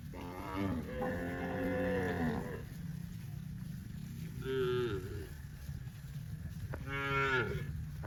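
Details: Dozens of tame cows on a cattle farm in green grass rice fields; a long moo opens, followed by two shorter rising-and-falling moos, over a steady low rumbling background.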